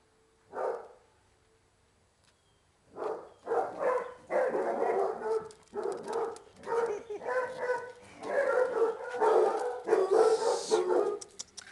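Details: Basset Hounds at a Brazilian kennel during a lively, playful romp: a lone bark, then a run of loud, coarse barks in rapid bursts of roughly one per second, broken by short pauses, with faint music behind.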